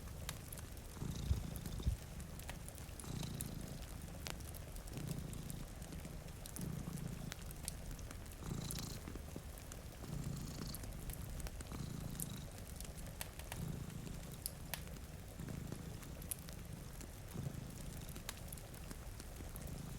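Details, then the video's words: Purring from two cats asleep at a rainy window, the deep rumble rising and easing in regular breathing cycles roughly every one and a half to two seconds, with rain hiss and fireplace crackle throughout. "Purring Cat"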